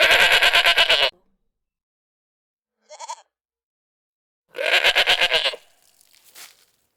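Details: Goat bleating: a long, quavering, strained bleat, a brief faint high cry, then another loud trembling bleat, with silence between them.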